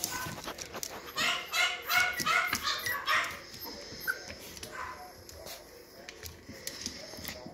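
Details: Yorkshire Terrier puppies, Vern's two babies, burst into a rapid run of high, sharp yips and squeaky whines lasting about two seconds, then fall quieter, with only faint cries and soft handling noises afterwards.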